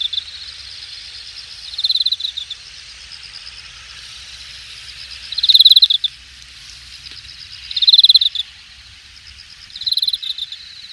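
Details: Grass insects of late summer at Hangang Park, Jamwon district, Korea, recorded August 2021: four loud pulsed chirp bursts near 2, 5.6, 8 and 10 seconds, each with a high buzzy tip, separated by quieter continuous insect drone.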